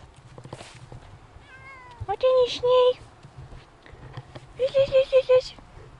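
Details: Siamese cats on an off-leash walk through a desert-like area, recorded with an action camera; two bursts of clear, tonal, slightly wavering meows, one near the second mark and a longer set of short meows near the fifth, over faint background talk and rustling.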